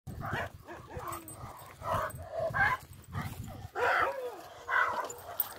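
A Rottweiler gives a string of deep, harsh barks, roughly one each second.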